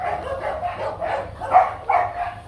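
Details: Young male Rottweiler stud named Nano at a breeding kennel, while a ball is fetched. Short, punchy barks come in a quick steady series, about two to three per second, with a couple of louder ones near the end.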